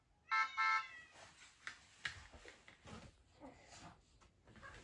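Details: Norwegian Forest Cat indoors, greeting at the door: a short, harmonic-rich meow near the start, followed by soft household rustling and faint background noise.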